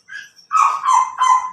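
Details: CJ, a Pomeranian in Labrador, Pangasinan, gives a high, bright yappy bark, then two quick sharp barks in succession, clean with no other noise.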